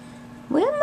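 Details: Chihuahua pup, a small female runt, lets out one brief high squeal that rises sharply, then levels into a steady, harmonic-rich whine. A low steady hum runs underneath.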